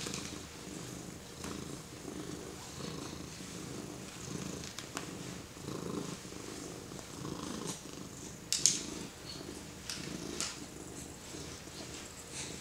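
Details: Domestic cat purring while being petted by a four-month-old baby; a steady low rumbling purr in soft rhythmic pulses, swelling and easing about twice a second, with a few faint clicks and rustles from handling.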